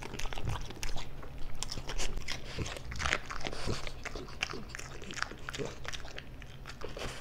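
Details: A pet French Bulldog, male, crunches food close to the microphone for ASMR: dense, uneven bites roughly every half second, with deep thuddy low tones under sharper clicks, and steady low hum behind.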